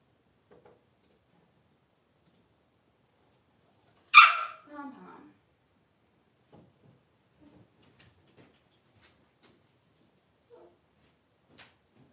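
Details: Five young Blenheim Cavalier King Charles Spaniel puppies in an indoor pen, just moved to a larger enclosure. After soft shuffling, one bright, high yelp breaks out, trailing into a lower whine, followed by faint taps and small sounds.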